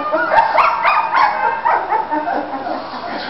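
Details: Several three-week-old Bulldog puppies playing in Florida let out quick rising yips and squeals, about five in the first second and a half, then softer whining.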